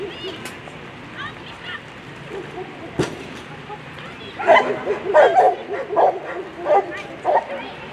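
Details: German Shepherd at a world championship agility competition: a run of sharp, loud barks from about four seconds on, roughly two per second, over crowd chatter and a handler's voice.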